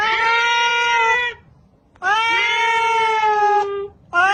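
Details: Cat repeating loud, drawn-out meows, each over a second long and steady in pitch, separated by short silent pauses, with a third beginning at the end.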